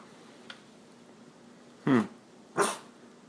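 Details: A French Bulldog gives two short, gruff barks, demanding its owner's attention because it wants them off the computer and to go outside.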